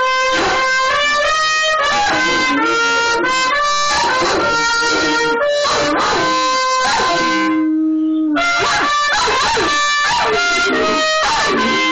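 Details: A melody played on instruments with guitar-like plucked notes continues throughout, pausing briefly near the end, with no animal sound heard.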